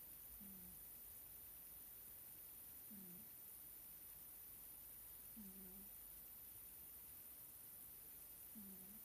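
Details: Sleeping indoor Scottish Fold cat, Nelsik, gives soft low snores, four short nasal puffs spaced about two and a half seconds apart, quiet against a steady room hush.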